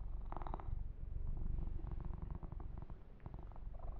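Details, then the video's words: Yumak, a pet kitten being massaged, purrs with a thick low vibration, while quick rustles and small smacking clicks sound over the rumble. "Kitten Massage - Perfect Sleep Helper Ear to Ear Purring"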